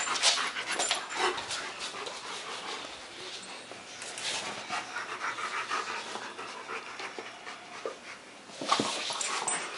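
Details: German Shepherd pair at play on September 14, 2015; quick airy panting continues steadily, with a sharp loud burst of scuffling near the end.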